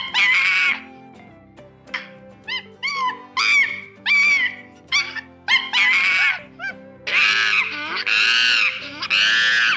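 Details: Monkey giving a series of loud, harmonic calls that rise and fall in short bursts, then longer drawn-out screaming calls near the end, all over steady background music.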